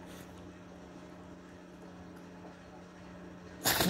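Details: A Shih Tzu gives a sudden, sharp sneeze after a stretch of quiet indoor hum, during an unusual fit of repeated sneezing lasting over 30 minutes, with the owner saying "bless you".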